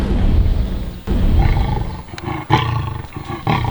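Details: Leopards fighting in summer at Londolozi Game Reserve, about 300 metres away in a dense drainage line, give deep, rasping growls and snarls in rough bursts about once a second; a hyena is nearby and there is a kill.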